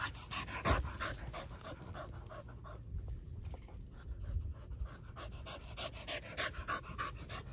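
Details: Dogs crowding at a fence pant steadily in rapid breathy puffs, about three per second, broadband and hissy, over a low rumbling background.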